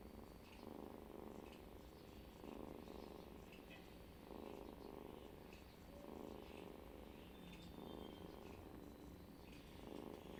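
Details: Domestic cat snoring while asleep indoors, a soft rhythmic breathing rasp with each breath swelling roughly every one and a half seconds, steady and low, with faint higher clicks and hiss in the background.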